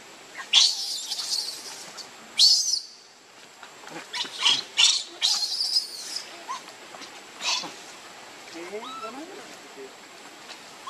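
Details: Baby monkey named Leo crying and begging its mother for milk. Loud, shrill screams come in bursts: around half a second, two and a half seconds, a cluster near five to six seconds, and again near seven and a half seconds. Softer chirps follow.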